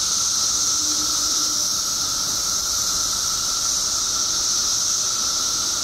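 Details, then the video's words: Mass emergence of periodical cicadas in Illinois after 17 years underground; a constant roaring drone of countless insects, shrill hiss layered over a steady lower buzz, with no pauses. "Billions of Periodical Cicadas Emerge After 17 Years Underground Cicadas Making Noise Illinois State"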